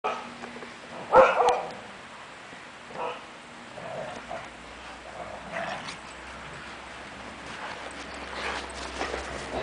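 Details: Two female Siberian Huskies wrestling in play around their owner's feet outdoors in falling snow; one short loud growly yelp near the start, then softer scattered grumbles, over a steady hiss of falling snow and a few words from a person.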